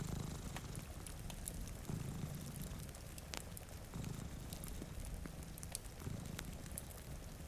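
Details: Two cats dozing in front of a rainy window purr with a deep, even rumble that pulses in gentle cycles. Clicks and snaps of a crackling fire and light rain sounds accompany it.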